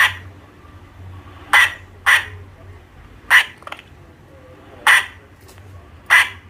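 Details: Squirrel. A squirrel calls with brief, raspy, broadband chucks or squawks, each a sharp burst. The calls come at uneven intervals over a quiet background with a faint low hum.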